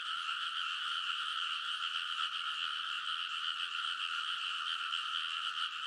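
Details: Midnight early-summer frog chorus from rice paddy levees in Kōnosu, Saitama Prefecture, Japan, recorded on a TASCAM Portacapture X8; countless callers blend into a continuous pulsing rattle at two stacked pitches, with no gaps.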